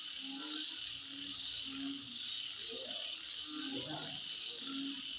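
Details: Midnight insect chorus, a continuous high shrill buzz with quick chirps layered above and a few low croaks and rougher mid-pitched notes beneath.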